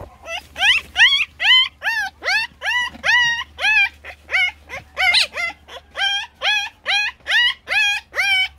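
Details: Puppies crying loudly for attention: a steady run of sharp, high whimpering yelps, each rising then dropping, repeated more than twice a second with hardly a pause.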